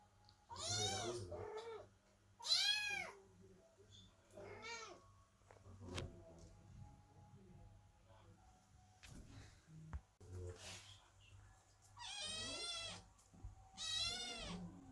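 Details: While Chloe the cat gives birth, kittens meowing under the door give scattered meows: two sharp ones early, a few softer calls, then two long loud meows near the end, with quiet room noise between.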